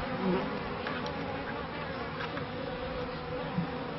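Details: Honey bees at the first hives in a bee yard in 1994, a beekeeper's early years: a steady, dense droning hum with several stacked tones, unbroken throughout, and a brief soft voice asking a question.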